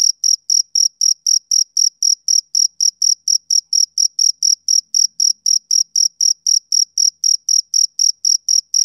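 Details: Male cricket chirping steadily: short, high, ringing pulses about four per second in an even rhythm, with no other sounds behind them.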